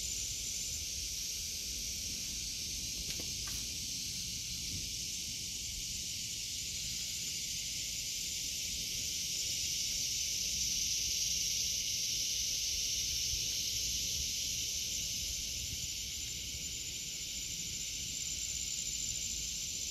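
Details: Cicadas drone in a steady, high, hissing buzz that carries without a break in an August 2023 vegetable garden.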